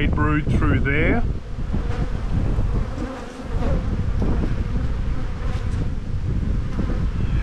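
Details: Spring buildup in the bee yard on 7-9-22: honey bees at a hive being inspected, the black hive full of brood. A brief spoken phrase opens, then a continuous low droning hum of many bees fills the rest.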